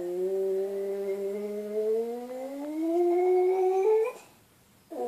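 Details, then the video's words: Indoors, Buddy the pet dog howls, the habit that wakes its owner, in a sustained, slowly rising, harmonic-rich wail lasting about four seconds, then a pause and a brief new yelp-like onset. "Guaranteed to make your dog howl"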